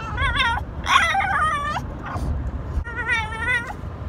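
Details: A pet French Bulldog 'talking' and saying he loves his owner. Three harmonic, wavering whines: a short one, a longer bending one, then a short pause and a final quavering whine, over a low steady indoor hum.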